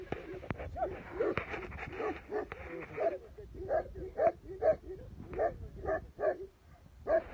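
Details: A Tibetan Mastiff in Tibet barks in short, deep woofs repeated about every half second. The opening seconds are muddied by noisy, rustling sound.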